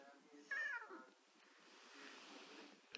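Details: Siamese cat, male, wearing a pilot's jacket indoors, answers his owner's greeting with one short, falling meow, followed by quiet room noise.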